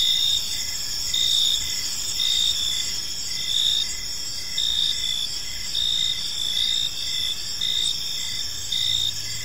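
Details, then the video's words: Gentle chirping of crickets in a park at evening: bright continuous shrilling plus pulsed chirp bursts close to once a second, over low distant hum. "Cricket Sounds in a Peaceful Park"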